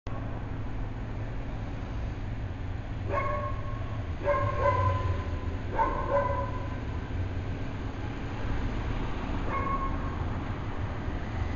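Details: A dog barking at thin air at 8 AM on a weekend morning, a handful of short sharp barks spaced irregularly, some in quick pairs, over a steady low rumble of traffic or machinery.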